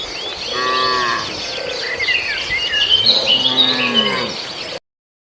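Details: Herd cattle feeding on grass in a farmer's rice field; faint, wavering moos under a loud, dense chorus of insects and chirping birds, ending abruptly in silence.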